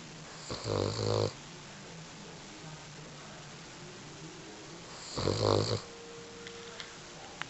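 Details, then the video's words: Female dog lying still asleep, giving two clear throaty, rattling snores about four and a half seconds apart, with a quiet room in between. "Snoring Dog"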